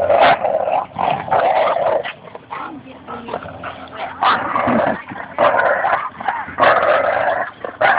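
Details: Playful tug-of-war between Espy, a Bouvier des Flandres, and Goose, a Labrador Retriever, at Fernandina Beach Dog Park, Goose trash talking; raspy growls alternate with short quieter gaps and faint human voices.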